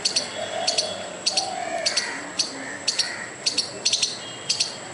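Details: Squirrel scolding a dog and a person with a furious noise: repeated sharp, high, doubled clicks about twice a second, one brief triple near the end, with soft hazy background sounds beneath.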